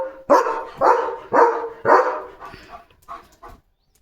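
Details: Pet German Shepherd on alert at the gate, barking non-stop; four loud rough barks in quick succession, then fainter trailing yips fading out.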